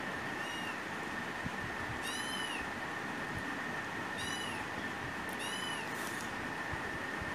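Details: Rescued kitten begging for a share of a person's food, recorded on a phone: four short, high-pitched, arching meows spaced roughly one to two seconds apart over steady background hiss and a constant faint whine.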